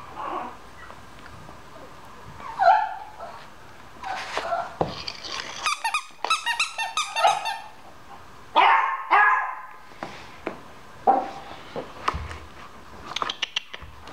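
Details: Infant blue French Bulldog puppies, two weeks old, from a litter of five, making high whiny squeals and short yelps scattered through the clip, mixed with bursts of rustling and handling noise.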